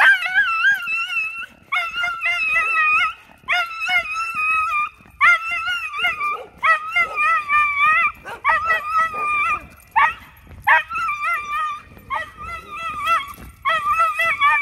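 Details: Lloyd, a pet Miniature Schnauzer, screams in long, wavering, high-pitched howls broken into about ten bouts of one to two seconds each. The tone rises and falls in a yodel-like, sing-song way, with short yips between bouts.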